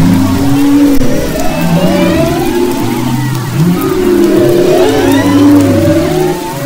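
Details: Humpback whale song recorded off the west coast of Maui in February 2011: low, drawn-out moans and gliding tones layered over a steady underwater rumble.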